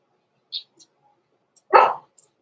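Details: Young blenheim Cavalier King Charles Spaniel puppy indoors in a breeder's puppy pen before Christmas: a faint high squeak, then one loud, sharp, broad bark.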